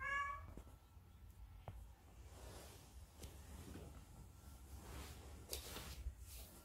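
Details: Munchkin cat calling its owner to play: one short harmonic meow right at the start, followed by quiet household rustling and low background hum.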